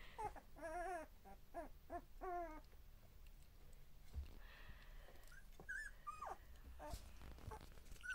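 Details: Two-week-old Border Collie puppies at their first play together, giving a run of wavering, harmonic whimpers in quick bursts over the first seconds, then quieter rustling and a few squeaks with people talking in Russian nearby.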